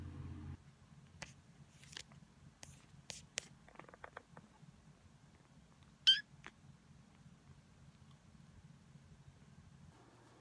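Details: Brown tabby house cat 時雉, rescued weak as a kitten in late May 2015, cuddling on a lap indoors; a low, steady rumbling purr runs throughout, with scattered clicks, rustles and one sharp knock midway.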